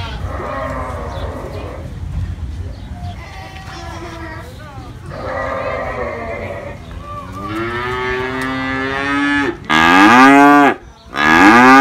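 Cattle mooing, a series of drawn-out harmonic bellows, some rising and higher-pitched like calves.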